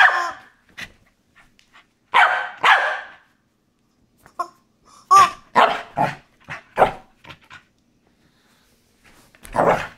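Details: A corgi gives sharp, excited barks in uneven bursts while playing with a squeaky chicken toy, which chirps in between; the toy once terrified him but is now a favourite.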